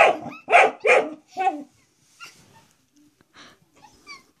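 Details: A dog indoors confronts a door stop it regards as a threat, letting out four loud, sharp barks in quick succession, then quiet with faint voices in the background.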